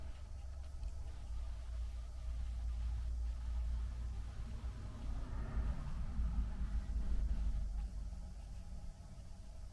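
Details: Only a low, steady rumble like distant traffic or room hum is heard, with no animal sounds.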